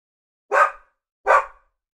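A Labradoodle gives two short, full barks about three-quarters of a second apart.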